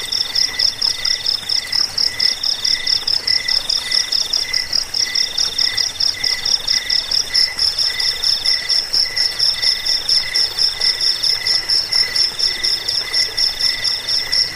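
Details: Crickets trilling in a continuous high chorus, recorded for chasing away rats, sleep and teaching birds; sharp rhythmic pulses repeat roughly twice a second over a faint hiss, with a soft buzzing layer above.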